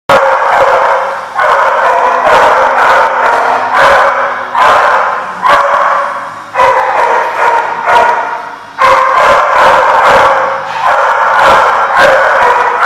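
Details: Many dogs barking together at a boarding lot on 31 October 2014; loud, dense, overlapping barks run almost without pause, with brief dips every couple of seconds.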